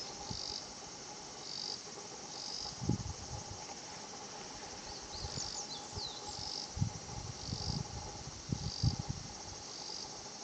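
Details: Higurashi cicada calling at Shinhocchi-an, a quiet natural spot: high, shimmering pulsed bursts of 'kana-kana-kana' song recur every second or two over a steady faint high drone, with a low hum and scattered soft low thumps beneath.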